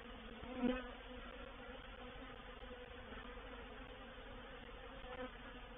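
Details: Honey bees of a reproductive swarm entering a bait hive at Painted Peacock Manor, 04/07/21; an even, layered buzzing hum holds steady for the whole stretch, with a brief louder swell and a click just under one second in.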